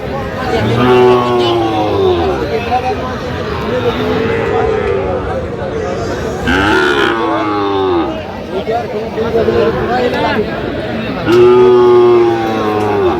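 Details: Sahiwal bull calves at a cattle market, offered for sale to a farmer from Jamalpur on 31 August 2025. Two low, droning moos with level tones, one early and one near the end, amid steady bargaining talk and market bustle.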